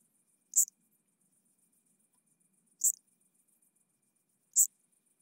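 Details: Wild Eupholidoptera chabrieri bush-cricket at Arzo, Switzerland, 4 August 2023, picked up with a Pettersson D 100 ultrasound detector: three short, loud chirps spaced about two seconds apart, very high-pitched, over near silence with a faint steady high hiss.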